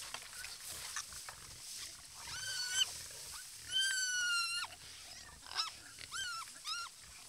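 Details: Wild boar at a watering hole in their natural habitat give high, drawn-out squeals that bend in pitch, over a faint rustling, crackling background.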